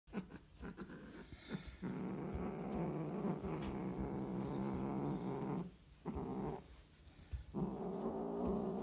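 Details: Scottish Fold cats mating: a low, drawn-out growling yowl holds for several seconds with rich harmonics. It breaks off briefly twice near the end and resumes. Scattered clicks and soft knocks come early on.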